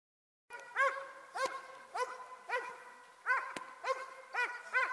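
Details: Dobermann working in Ring 2 attack exercises: loud, sharp barks in a steady series of about nine, roughly two each second, each bark a short rising-then-falling harmonic yelp with faint background hiss.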